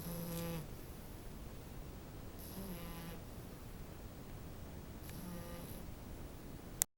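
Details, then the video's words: French bulldog puppy snoring while asleep: three nasal snores at about 0, 2.5 and 5 seconds, each with a buzzy, harmonic rattle, separated by quiet breathing, ending in a short click. "snoring french bulldog puppy"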